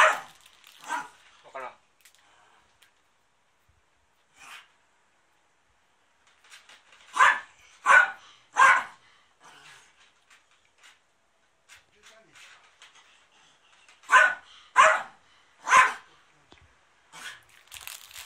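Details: Indoor pet dog at the family home being cleaned on 13 March 2019, a TV drama filming location; bursts of three sharp barks come twice, with scattered softer yips, room clatter and a person talking quietly.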